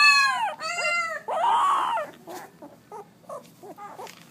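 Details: Pit Bull puppies seventeen days old giving their first barks: high, squealing cries with bright stacked harmonics, a long wavering yelp near two seconds, then shorter squeaky yips and whimpers trailing off.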